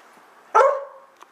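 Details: A half-husky, half-"wolf" mix playing fetch gives one short, loud, throaty howl that fades quickly, asking for his ball to be thrown again before he has even put it down.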